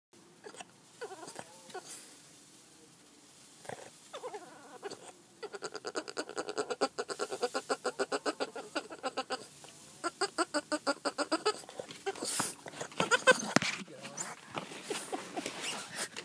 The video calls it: Boston Terrier Makes Funny Noises